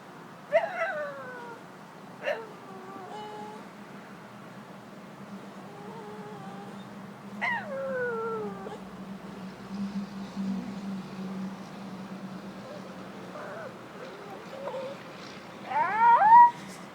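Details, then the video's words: Stella, a pet dog, tries to talk with a string of drawn-out whines that slide downward in pitch, spaced a few seconds apart, some wavering or rising before dropping, with a louder, higher burst near the end. "My dog makes funny noises"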